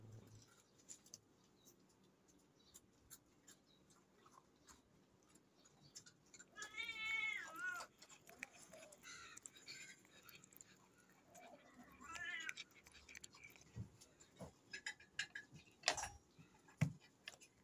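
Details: Domestic cat meowing: a harmonic, wavering meow around 6.5 to 8 seconds and a second shorter meow near 12 seconds, over faint background clicks and rustling, with sharp knocks toward the end.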